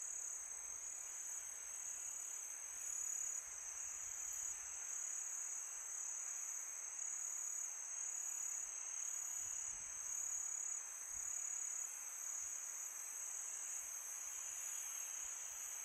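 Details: Night-time crickets on a calm summer night, their continuous piercing trill ringing at a constant high pitch, with wind rising and falling in a gentle rushing hiss beneath.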